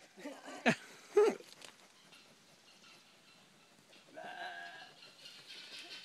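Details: A sheep on a small farm gives two quick, harsh, wavering bleats, followed by a softer rumble of background noise.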